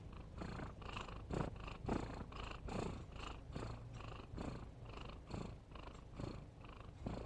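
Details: Snoring cat heard close up: rhythmic low raspy breaths, about seventy-two per minute, each a short noisy rumble with breathy upper tones, no other sounds.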